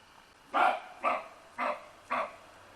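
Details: Roe deer giving four short, rough barks about half a second apart, each abrupt and gruff, with a quiet background between them.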